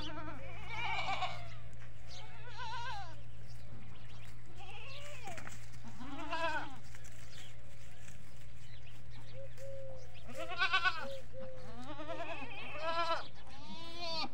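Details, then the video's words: Bleating from desi goats and baby goats on a goat farm: repeated quavering, harmonic-rich calls from several animals, some higher-pitched, over a constant low background hum. "Beautiful Bakri Ka Awaaz || Goat Sounds At Goat Farming"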